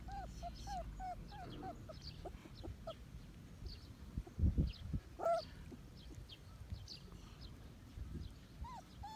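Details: One-month-old medium poodle puppies whimpering in a quick run of short, high squeaky notes over the first two seconds. Scattered softer whines follow, along with a few thumps and quiet household sounds.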